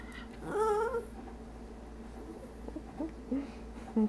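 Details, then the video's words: Pet dog Stormy, begging at the treat jar indoors, gives one bent, whiny moan followed by a few soft, short whimpers and squeaks in a quiet room. "Our dog tries to talk"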